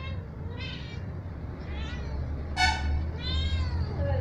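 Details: Kitten playing with its mother's sister, giving several short harmonic meows at about 0.7, 1.9, 2.6 and 3.5 seconds, the loudest near 2.6 seconds, over a low steady hum and indoor background.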